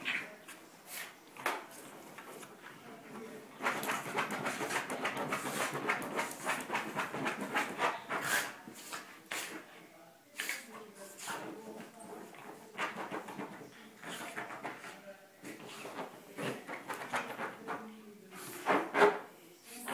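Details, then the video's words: Max, a Cairn Terrier, frisky after his bath indoors in a small room, panting in quick rough bursts, about three to four breaths per second, with brief pauses and a few sharper snorts near the end. "Max gets frisky after his bath"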